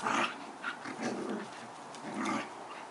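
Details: Two collie-crosses, Badger and Pirate, play fighting; rough, throaty growling bursts come in several waves, loudest at the start and again near the end, with scuffling noise between them.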